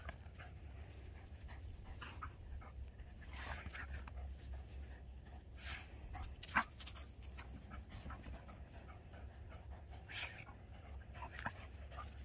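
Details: Two pet dogs, Voodoo the Keeshond and Tasha the Greyhound, play tug with a tug ball on 21 March 2021; soft breathy panting bursts come and go over a steady low hum, with a few sharper knocks.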